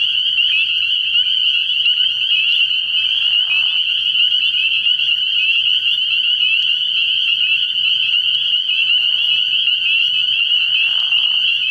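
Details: Early-year frog pond at night filled with spring peepers calling together, a piercing, unbroken high-pitched peeping; short lower croaky bursts surface around 3, 9 and 11 seconds.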